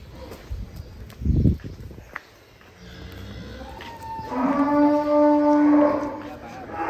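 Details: A cow at GST Farm, among three plump, unusual cattle kept in a pen, lets out a loud, sustained, steady-pitched moo lasting about two seconds after a few knocks and rustles, with brief voices beforehand.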